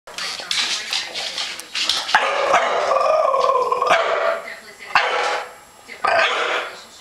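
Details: A scared 1-year-old male French Bulldog barks at a plastic comforter bag in rough, uneven bursts, some stretched into tonal, whining yowls, with people talking between and over the barks.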